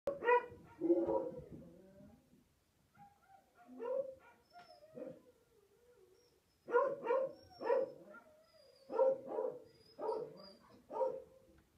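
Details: Tamaskan dogs at a window giving a series of short harmonic barks and yowling vocal bursts, grouped in clusters with quieter wavering moans between them, indoors.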